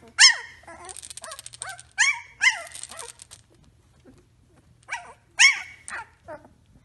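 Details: Young Samoyed puppies at three weeks old let out sharp yelping whimpers mixed with buzzy pulsed grumbles, in two bursts separated by a short pause, with fainter whines between.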